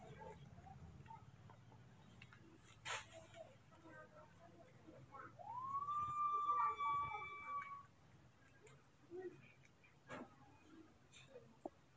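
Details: Frightened, angry baby monkeys Moni and Mino facing a new person with a camera; a single upward-swooping cry levels into a sustained, harmonic tone for about two seconds amid soft background chatter and clicks.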